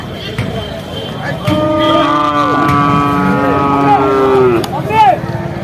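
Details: Bull calves at the Vaniyamkulam market: drawn-out, steady, tonal moos overlapping one another, set against a busy backdrop of people talking and crowd noise.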